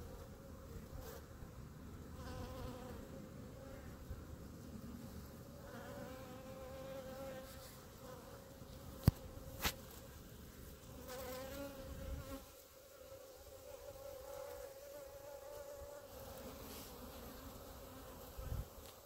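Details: Honey bees gathered in a clump in front of their hives hum steadily under low rumbling background noise, with a couple of sharp knocks and passing louder bees.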